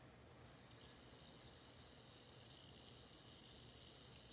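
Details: Bell cricket song rising from silence into a continuous, shimmering high trill that grows louder in gentle pulses.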